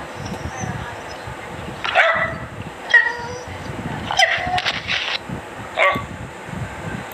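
A dachshund gives a few sharp, fairly high barks, spaced unevenly over several seconds.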